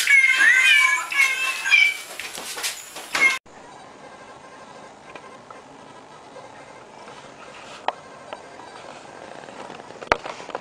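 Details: A cat delivers a quick burst of shrill, bending meows over roughly three seconds before an abrupt cut to quiet room hiss with a few faint clicks.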